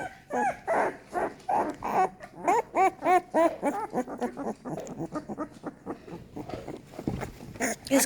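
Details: American Staffordshire Terrier puppies, a litter becoming more active and crawling indoors, give a rapid run of high, arching whimpers and squeals, many overlapping, roughly three per second, fading into softer cries near the end.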